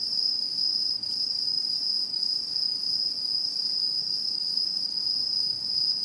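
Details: Autumn insect song from satoyama countryside, 2016: steady high, even trilling that runs throughout, dipping for an instant near the one-second mark, with a faint higher overtone.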